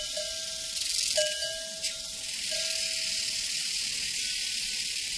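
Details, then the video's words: Crickets trill constantly in a high, airy chorus on a prairie while mellow cowbells clang several times in quick succession, each ring sustaining briefly before fading. "Sounds from a Prairie Crickets and Cowbells"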